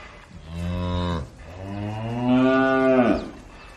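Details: A cow in a cow barn gives two deep, drawn-out moos, the second longer and rising slightly in strength.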